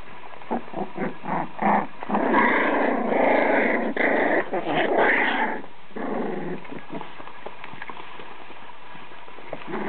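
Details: Danish-Swedish Farmdog puppies, a litter of five, growling and yapping in playful bursts, loudest in the middle seconds, with scuffling and pattering of small feet throughout.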